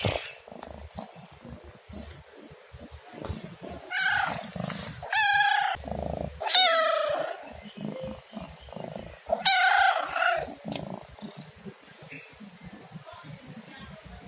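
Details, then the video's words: A domestic cat repeats drawn-out, wavering meows, four clustered over about six seconds and another a few seconds later, over quiet room noise. "SUARA KUCING MENGEONG | Cat Meowing Sound"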